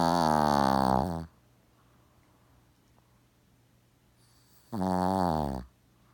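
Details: Snoring Shih Tzu named Gaku, sound asleep and unbothered by the approaching camera. A loud rasping snore, a pause of about three seconds, then another rough, rattling snore of similar strength.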